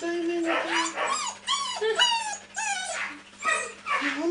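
A Siberian Husky gives a run of high, wavering whines and yips that bend up and down in pitch.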